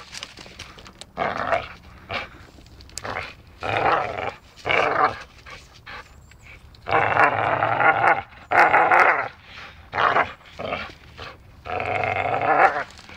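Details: Dachshund playing and biting, growling in a string of short rough bursts, each about half a second to a second long, with brief silent gaps between them; a few sharper bark-like yaps break the rhythm.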